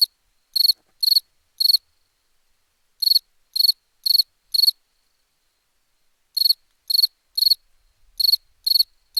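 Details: Cricket song recorded for a summer sound pack: high pulsed chirps in groups of three or four, each burst short and clean, with pauses of about a second between groups and silent background.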